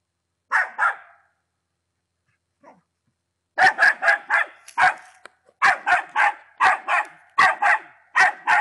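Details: Patterdale Terrier Attila at ten months: two sharp barks, a silent stretch of about two seconds, then a fast series of loud harsh barks, some doubled.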